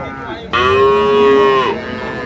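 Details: Improved-breed dairy cow at Ambari cattle market, 2/3/25: a single steady, level moo lasting about a second, starting abruptly and easing down at the end, over faint market murmur.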